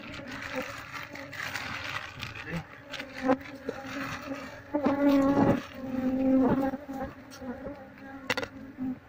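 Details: Wild honey bees transferred to a cardboard box during a search for their queen give a dense low buzzing drone that swells louder midway, mixed with rustling and handling noise.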